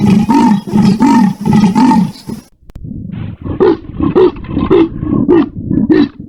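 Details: Leopard giving deep rasping grunts. A dense run of harsh strokes comes first, then a short pause, then quicker, sharper grunts repeated at a steady rhythm of about two per second.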